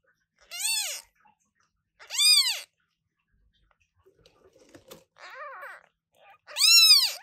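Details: Very loud calls from new British Shorthair kittens born August 2023: three strong, high, arched meows and one softer, shorter meow between them, separated by short silences.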